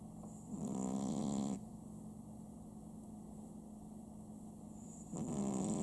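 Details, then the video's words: Sam, a pet Chihuahua at home, snoring indoors: two rough, low, rasping snores, one lasting about a second near the start and another at the end, with quiet breathing in between. "家のチワワ サムいびき3"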